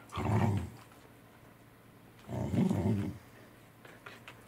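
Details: Welsh Corgi indoors on 10 November 2020, growling while Roku, Angela and Kuro eat saury; two deep, rough growls about half a second each, roughly two seconds apart, over faint room hum and small clicks.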